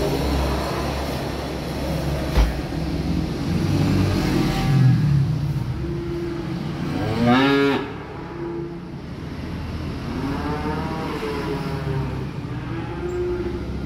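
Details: Small calves being delivered by truck low repeatedly: several soft moos, then one loud, wavering bellow midway, followed by more drawn-out calls, all over a constant low mechanical drone.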